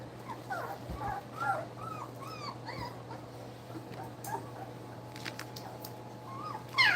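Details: Two-week-old puppies feeding give soft, rising-then-falling little squeaks every second or so, quieter toward the end before a sharp louder squeal closes, over a faint steady hum.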